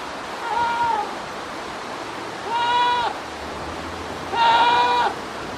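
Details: A goat standing on scaffolding bleats three times at 9:12 AM on 19 November 2019, each a steady, nasal, harmonic-rich cry lasting about half a second to a second.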